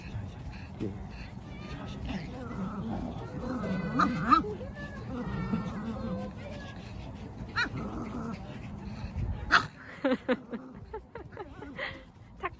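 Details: Boston Terrier at a playground, excited on seeing its favourite soft, bouncy ball and pleading for it to be kicked: short high whines and yelps rising and falling, mixed with a person talking and handling noise.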